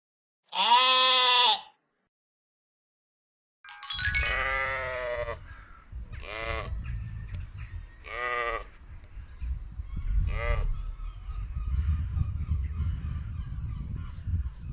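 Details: Sheep bleating: one clean, drawn-out wavering bleat, then after a short silence a series of shorter bleats from several animals every two seconds or so over steady low outdoor rumble.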